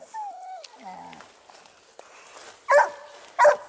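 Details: Dogue de Bordeaux from the Les Dogues de Plaine amateur breeding kennel: thin, wavering whines open the moment, followed after a quiet gap by two loud barks close together near the end.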